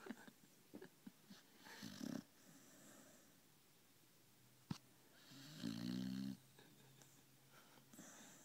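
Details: Female dog snoring while asleep indoors after a hard day of walking and eating; two loud rasping snores around two and six seconds, with softer breathing and small clicks between them.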